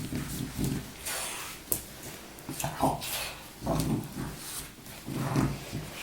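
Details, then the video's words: Baboo, a French bulldog napping indoors and slowly waking, snores in low rumbling, snorting breaths that return roughly every two seconds, with faint room noise between them. "baboo un bouledogue français qui ronfle !!"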